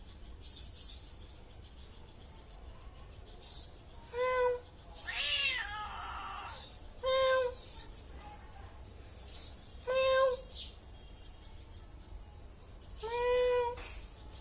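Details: Cat giving short, clear meows roughly every three seconds, each a slightly rising then falling wavering tone, with brief scratchy rustling noises between calls.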